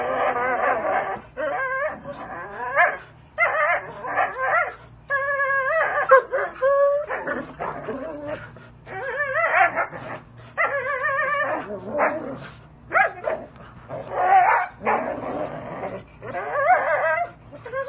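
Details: Working Belgian Malinois on a spring pole with exercise bands in Fresno, California, giving repeated excited whining cries and sharp yips in quick clusters, pitch wavering up and down, separated by short silences.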